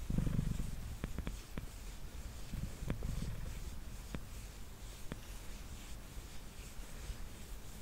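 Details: Mango, a male pet cat, purrs on a table as he is brushed; a deep, throbbing purr swells early and again midway, fading softer, with sharp brushing clicks scattered through.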